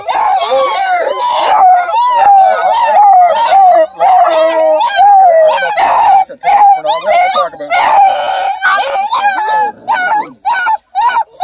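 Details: Bluetick Beagle cross female puppies near Kingston, Ontario, Canada, offspring of deer-hunting hounds, giving high, wavering whines and little howls in a near-continuous chorus. The pitch dips and rises, broken by short yips, while a person talks softly over them.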